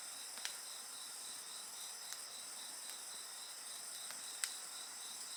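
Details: Steady insect song: a quick, regular high-pitched pulsing trill over a bright continuous chorus, with a few crisp pops from a nearby bonfire.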